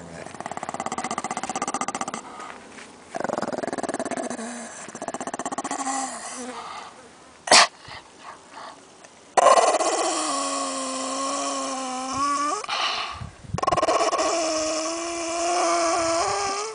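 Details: Ten-year-old white Pekingese male eating a bone and disturbed at his meal. He lets out drawn-out, tonal grumbling growls whose pitch bends and wavers, in bursts of several seconds separated by short quiet gaps. One sharp click is heard.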